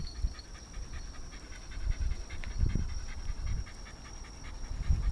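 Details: Narihira, a pet Shiba Inu at home in Yaizu, Shizuoka, Japan, during a pet sitter's visit on 26 August 2018: rapid rhythmic breathy panting with a louder burst near the middle, over low rumbling and a constant thin high tone.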